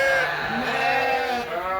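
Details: Sheep on a farm in Canada at dusk, calling while gates are locked and waiting to be fed; loud wavering bleat with rich stacked harmonics, holding steady for nearly two seconds.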